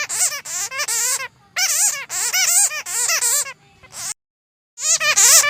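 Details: Bats chatter in bursts of shrill, wavering squeals, rapid and strongly harmonic, with brief pauses between; the recording is offered for use in luring or trapping bats.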